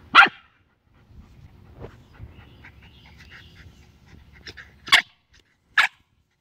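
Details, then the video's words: A Shiba Inu screams at a snake, giving three short, shrill, harsh screams, one at the start and two close together near the end. "Shiba Inu Scream VS Snake"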